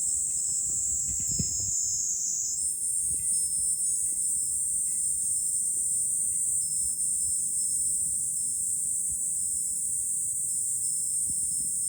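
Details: Shrill massed cicada song in July, recorded on high ground overlooking Fukuoka City, Japan; the constant buzzing tone steps up in pitch after about two and a half seconds, with scattered faint chime tinkles.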